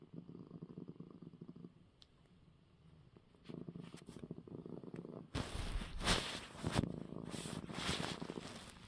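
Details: Male domestic cat purring after receiving eye medicine, a soft low rumble that grows louder midway, joined in the last seconds by rustling and handling noises.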